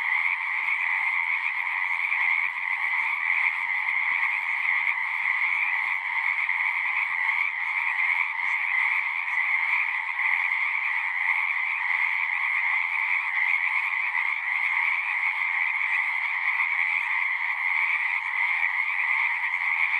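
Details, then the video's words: Natural night-style frog chorus: many frogs trilling at once, forming a constant buzzing sheet of sound in two pitch layers, unchanging in loudness and with no gaps. "One hour of singing frogs."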